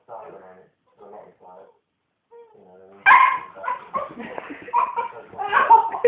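A Cocker Spaniel puppy gives high whiny yips, then sharper barks while a person talks over it.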